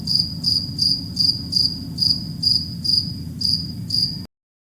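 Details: Cricket chirping in a steady series of short, high-pitched pulses, about two to three per second for four seconds, over a low rumbling background hum.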